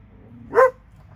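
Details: One of two dogs in Alabama letting out a single short, sharp bark.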